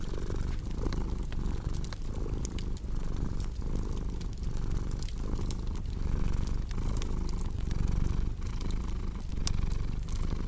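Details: Relaxed domestic cat giving a soft, throaty purr with a regular breathing rhythm near one cycle per second, mixed with a cozy crackling fire's clicks and pops.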